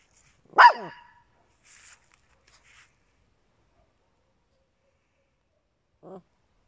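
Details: Papillon and Yorkshire Terrier pet dogs at home: a single sharp, bright bark early on, then near silence with faint scuffles and a brief soft low yelp at the end.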